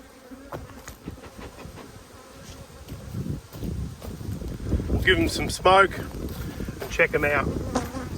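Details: A strong Australian honey bee colony hums during a hive inspection in a dearth, 5 February 2022. A low, rough drone builds over several seconds, and a man's voice cuts in briefly near the end.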